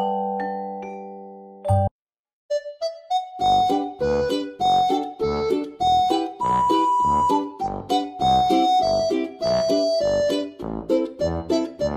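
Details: Bright keyboard music with a bouncy melody plays throughout, with no animal sounds. A brief burst of noise and a moment of silence come near the start.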